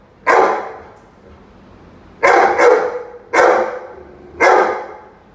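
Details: Rhodesian Ridgeback named Roady barking while confronting a chicken: four loud, sharp barks, the first alone, then a close double bark, then two more spaced about a second apart, with a quiet background between them.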